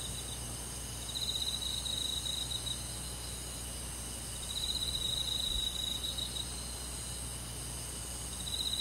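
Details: Summer-night forest insect chorus with crickets: continuous high, thin ringing tones overlaid by rapid pulsed trills that come in bursts of one to two seconds, recurring three times, against a soft low hum.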